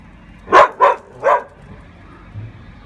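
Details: Saluki/whippet dog barking at a gargoyle, three quick loud barks within about a second, the last slightly longer, followed by near quiet with a faint low rumble.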